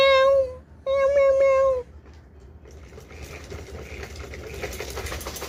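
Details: A cat gives two steady, drawn-out meows in quick succession, the second longer. Low room noise and faint rustling follow.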